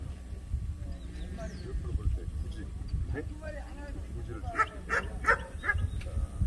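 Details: Jindo dog, young female class, at the 66th Korean best Jindo dog selection show; after background chatter and voices, four quick high barks come in a burst about a third of a second apart, over a steady low hum.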